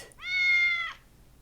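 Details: Domestic cat giving a single clear meow, a steady harmonic tone of under a second that holds level and drops slightly at the end, in a quiet setting.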